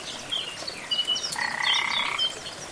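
A frog gives a buzzy, pulsed trill amid chirping night chorus sounds.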